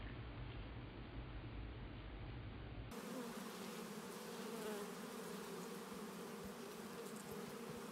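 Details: Several bees eating honey from a honeycomb, some climbing almost completely inside the cells with only their rear ends sticking out; a steady low droning hum runs throughout, its background shifting slightly after about three seconds.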